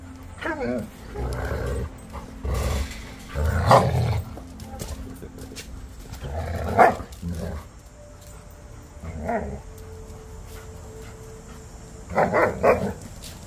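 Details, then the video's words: Several pet dogs in a pack playing and interacting after eating; short rough bark and growl bursts come at irregular intervals over a low background hum, with brief quieter gaps between outbursts. "K9 Best Friends - The Pack Playing"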